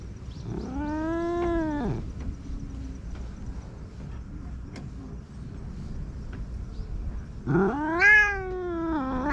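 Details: Stray cat in Japan, recorded on a GoPro at night while being petted, gives two drawn-out, wavering meows, the first rising then falling around two seconds long, the second a sharper rising cry near the end, over steady low background rumble.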